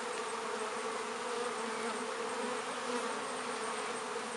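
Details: Midsummer honey bees crowding a hive entrance in a north London apiary, foragers returning with pollen and nectar; an even, unbroken swarm hum filling the whole stretch with no other sounds.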